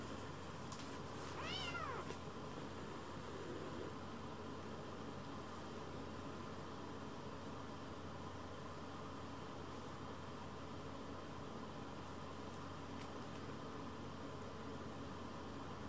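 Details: Rescued shelter kittens, baby cats lying belly-up: one short, high meow rises and falls early on, then only quiet steady background music fills the rest.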